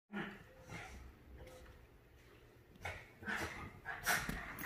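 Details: Havanese and Maltese dogs, named Clam and Bella, playing and fighting over a couch indoors: low breathy snorts and short growling bursts, quiet at first, then louder rasping outbursts toward the end, with a few faint human voices.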